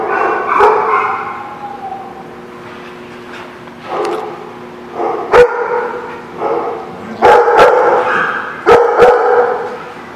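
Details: Dog barking at a barking lot on 26 November 2016. Short, harsh barks come at irregular gaps over a steady low hum and background noise.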